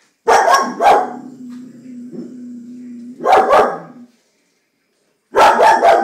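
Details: Female Vizsla pet dog barking at a stink bug overhead. Pairs of sharp, loud barks, with a low whining tone in between, then a silent gap and another burst of barks.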